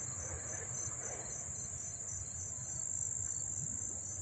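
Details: Crickets chirping at close range in Dobbs Ferry, New York, on August 1, 2014; a piercing, continuous high drone with quick repeated pulsed chirps, several per second, over faint low background hum.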